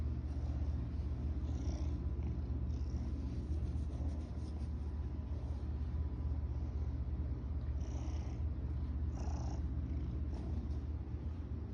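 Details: A pet cat playing fetch, purring in a steady low rumble that runs unbroken through the whole stretch, with a few faint brief higher sounds rising above it near the end.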